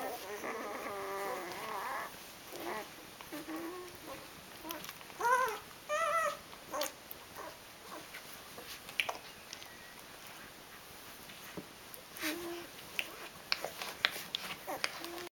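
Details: Rhodesian Ridgeback puppies, eight days old, one litter of five: a long, high, quavering whine at the start, then a burst of rising squeaky whimpers, followed by soft clicks, shuffling and a few faint cries.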